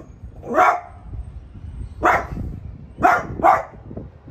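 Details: Domestic French Bulldog Piper barking at the new artichoke plant: one single bark, then another, then a quick double bark, each short and punchy over faint background rumble.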